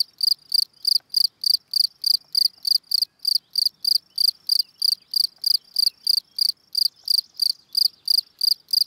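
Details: Calling song of a field cricket, Gryllus campestris: evenly spaced shrill chirps, about three per second, continuing without break over a near-silent background.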